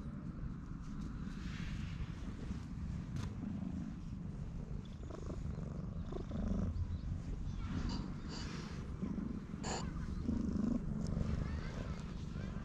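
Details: Affectionate stray cat rubbing against someone's legs and staying close, recorded on a GoPro HERO8: a continuous low, throbbing purr runs the whole time, with faint rustling and light handling noise over it.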